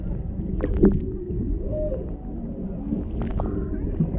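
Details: Off Maui, Hawaii, a humpback mother and calf swim near a boat, a male in the background, recorded underwater with a GoPro Hero 7 Black. A brief tonal moan and faint whistled units show through a steady low rumble and crackling clicks.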